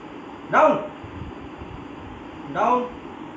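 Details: German Spitz puppy during a training session giving two short, sharp barks about two seconds apart, each a brief bright burst over a quiet background.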